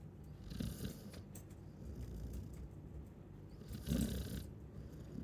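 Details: Sleeping Chow Chow giving rough, breathy snores, one near the start and a louder one about three seconds later, each a short hissing rasp over a low hum.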